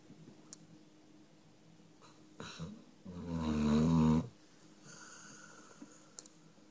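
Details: Number Five, a dog, asleep and snoring in a small room. Faint breaths lead into one strong, vibrating snore lasting over a second, followed by quieter exhaled hisses.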